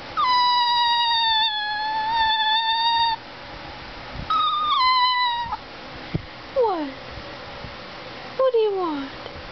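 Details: Talking greyhuahua Gizmo, a greyhound–Chihuahua cross, utters a three-second steady whining note, a shorter higher one, then two quick downward-sliding whimpers and a final falling cry, in a quiet indoor setting.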